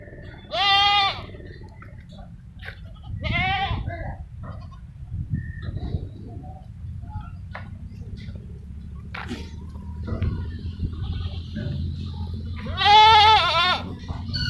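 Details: Goats on a farm keeping Barbari and Sirohi breeds in India, giving loud wavering bleats at about one, three and thirteen seconds, with low farm rumble and faint background noise between calls.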